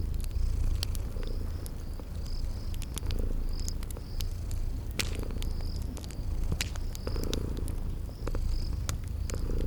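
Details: Sleeping kitties purring by a crackling fireplace in a spring garden ambience: a steady low rumbling purr swelling and easing in slow cycles, with sharp fire crackles and short high insect-like chirps repeating through it.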